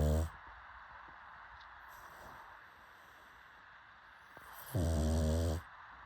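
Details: A pug's snore: a brief low rasp cut off at the very start, then a near-silent stretch, then one deep, buzzy, harmonic snore lasting close to a second.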